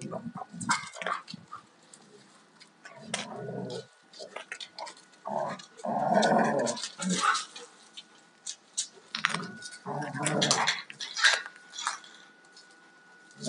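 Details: Two Alaskan Malamutes, a 2-year-old male and a 4.5-year-old female, rough playing; bursts of growls and grumbling vocalizations come in uneven clusters, with scuffling and clicking noises between them.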